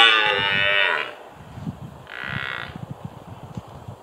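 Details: Red deer stag roaring at Tatton Park, Cheshire, ahead of the rut: a loud harsh roar fading out, then a shorter second bellow, with low thumping footsteps or knocks underneath.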